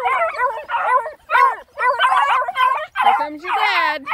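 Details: Nine Black and Tan Coonhound puppies let out for a hike around a pond give a rapid run of high, wavering yelps and short baying howls, about two a second. One longer bending howl ends the run.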